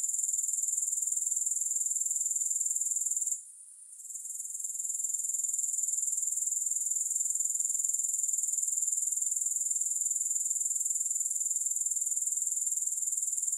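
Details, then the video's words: Grasshoppers, no music added: a continuous shrill buzz pulsing about four times a second, with one short fade after three seconds before the steady high drone resumes to the end. "Grass Hopper Sounds"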